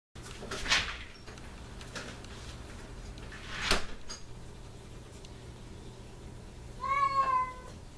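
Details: Pet cat whining and crying at the door after its owner leaves; two sharp knocks or thumps, then one short, wavering, harmonic meow near the end over a steady low indoor hum.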